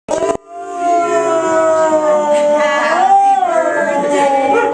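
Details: A Siberian Husky, Ginger, "sings" along to Happy Birthday with a long, wavering howl that swells and bends upward midway.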